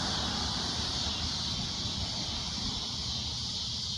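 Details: Cicada at sunset giving a loud shrill drone, a constant high buzz partly masked by broad low rumbling noise.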